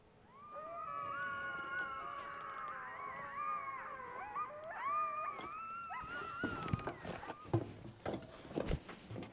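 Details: Several coyotes close by in the desert howl together, their high, wavering voices overlapping in a yipping chorus.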